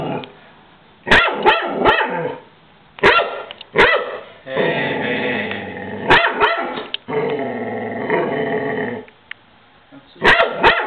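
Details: Pet dog named Blodie barking at the Goodyear blimp, agitated: sharp bark bursts near one, three and four seconds, two long harmonic growling whines between about four and nine seconds, then a final cluster of barks past ten seconds.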